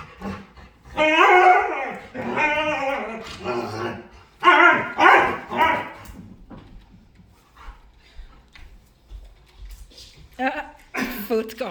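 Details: Dog making playful sounds: several loud, wavering, harmonic howls and moans in quick succession early on, then quieter mixed sounds and a few short cries near the end.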